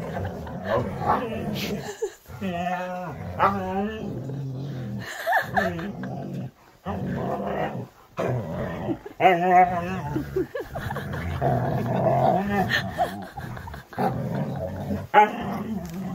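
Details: Siberian Husky on a typical morning at home, grumbling as its rear is grabbed and it is moved. Throaty growls rise into drawn-out, whiny, talkative moans in several bursts, with a person speaking over and between them.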